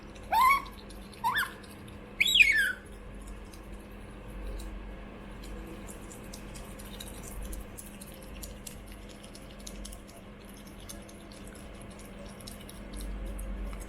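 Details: Choco, a pet female otter, asks for food indoors. Three quick, sharp, rising chirps come in the first few seconds, each louder and squeakier than the last. Then there is only a quiet room hum.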